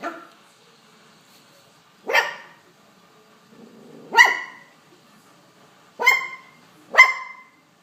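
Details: Young poodle giving four short, sharp barks at irregular intervals, the last two coming close together, with quiet gaps in between.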